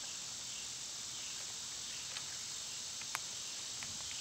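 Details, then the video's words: Summer cicada chorus, a dense, continuous high buzzing wash with a few faint ticks scattered through it. "Birds & Squirrels w/ Cicada sounds"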